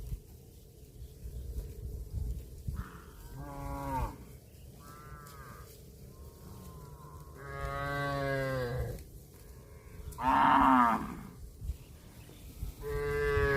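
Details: Grazing cattle give a run of moos of varied length. Short lowing notes build to a long steady moo and then a strained, higher call, with a steady low hum and faint shorter calls in between.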